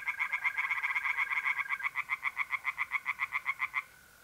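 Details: Tree frog singing loudly by night in a pond in north-east Italy, mid-April. A long run of rhythmic pulsed croaks comes at about four per second before it stops. A mole cricket's thin, steady trill sounds in the background.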